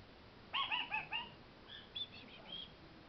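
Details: Pet kakariki at home begging its owners for snacks, making cute little noises: a quick run of four bright, clipped chirps with rich overtones, then softer scattered high chips after a pause.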